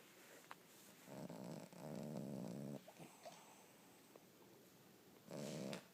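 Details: Yorkshire Terrier asleep on a couch indoors, snoring: two long rasping, buzzy snores, the first lasting about one and a half seconds, the second starting near the end, with soft snuffling breaths in between.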